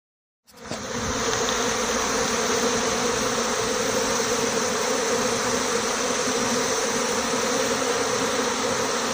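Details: Honey bee swarm leaving a six-frame nucleus hive together with its white-marked queen; a dense, steady droning hum from countless wings, with a strong band near the low-middle pitch and a broad hiss above, starting abruptly after half a second of silence.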